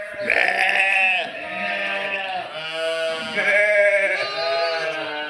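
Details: Sheep and lambs bleating almost continuously, long tremulous bleats that overlap one another, a higher voice riding over lower ones throughout.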